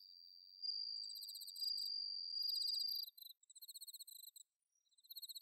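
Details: Bell crickets and other crickets singing on an autumn night, bell cricket recorded in Inba-numa rice paddies, Chiba, Japan, on a Zoom H6: a steady high ringing tone for three seconds, then repeated short bursts of rapid, high, pulsed trilling.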